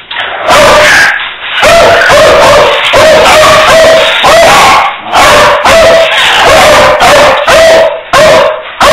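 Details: Insistent barking from a beagle: dense, harsh barks packed closely together with a sustained musical ring beneath them, keeping up almost without a break.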